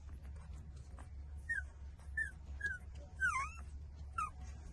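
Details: Eighteen-day-old puppies suckling milk from their mother make short, high, squeaky whimpers that slide downward. About six squeaks come at uneven intervals of roughly half a second over low background rumble.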